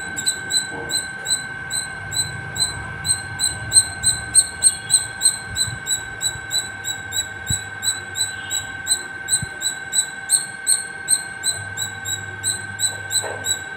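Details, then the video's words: Non-stop calling by a squirrel perched at the top of a terrace, a long series of thin, high-pitched chip-like squeaks about three per second, slightly irregular, with a constant background hum and faint low rumbles. "Non stop singing squirrel 🐿️ at the top of my terrace"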